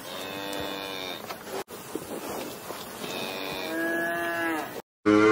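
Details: Cow mooing twice: drawn-out, tonal moos of about a second and a half each, rich in stacked harmonics, separated by a quiet gap, with light background noise and a brief abrupt sound at the very end.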